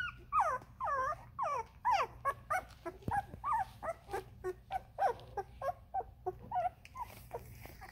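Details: Thirteen-day-old Vizsla puppies give a rapid series of high, wavering whines and squeaks.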